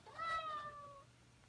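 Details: A house cat calling to wake its owner at the same time every morning: one drawn-out meow, bright at the start and sliding slowly downward over about a second, indoors, with a low steady hum behind.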